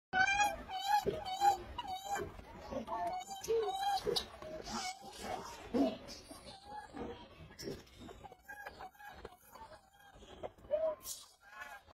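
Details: Cold baby monkey crying in thin, high harmonic squeals, given in quick rising-and-falling series and broken by short pauses, with other voices and rustling between them.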